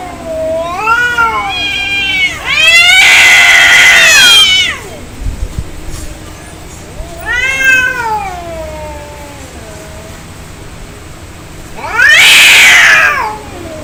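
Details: Fighting cats trading angry calls: wavering moaning yowls swell into loud harsh screeches, several separate bursts a few seconds apart with quieter stretches between and a brief thump in the middle.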